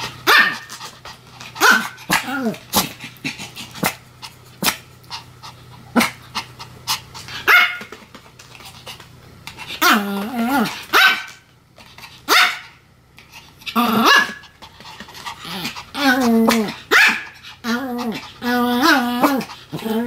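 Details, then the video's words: Sam and Marin, a pair of Pomeranians, bark in a duet. Rapid bright yaps come in uneven volleys, mixed with wavering, sing-song howls that rise and fall. The calls overlap and come in steady exchanges across the stretch. "犬の鳴き声 ポメラニアン サム マリン デュエット吠え"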